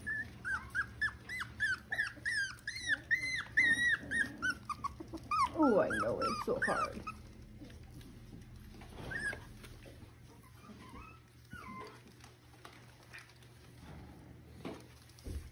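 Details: Six-week-old Miniature Schnauzer puppies at play with their mother indoors in Mission, British Columbia: a rapid run of high, arched, rising-falling whines and yelps repeated several times a second, then a rougher growly burst and scattered later squeaks, with quiet speech.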